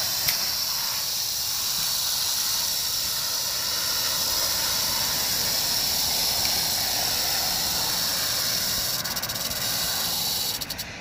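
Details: Sustained high, hissing buzz of a rattlesnake's rattle, filmed 1 July 2018, even and unbroken throughout before easing slightly at the very end.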